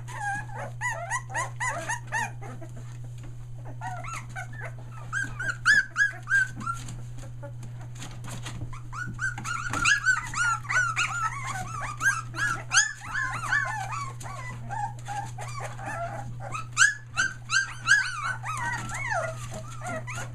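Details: Nearly three-week-old Aussie puppies near Mooresville NC whine and squeal in a busy chorus, rising and falling cries packed about three per second, louder bursts mid-clip, a steady mains hum underneath.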